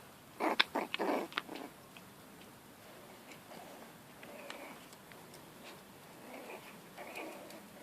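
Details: Jack Russell and Yorkshire Terrier cross puppies, five weeks old, out exploring the garden: a quick cluster of three or four sharp whimpering yelps early on, then only faint, soft squeaks and quiet rustling.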